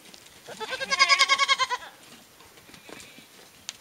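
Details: Goats at a ranch give loud, wavering bleats, each pulsing rapidly for about a second before trailing off, while playing.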